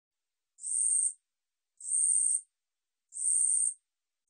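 A katydid sings in dry, buzzy bursts of about half a second, repeated every second or so.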